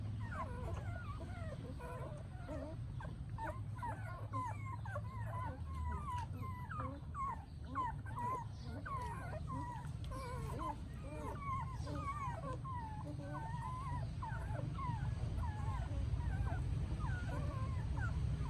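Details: Mother dog caring for her puppies in Siem Reap, Cambodia; the puppies whine continuously with dense, bent, high-pitched squeaks, many overlapping voices growing louder toward the end, with a low background hum throughout.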